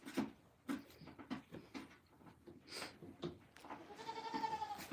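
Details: Goat on a farm giving one long, wavering bleat rich in harmonics near the end, after a run of sharp knocks and clatters, with a low background murmur.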